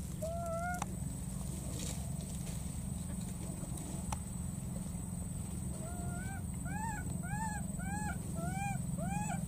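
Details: A baby monkey crossing water gives thin, arched whimpering calls, repeated quickly, over a steady low rumble, calling for and looking for its friend.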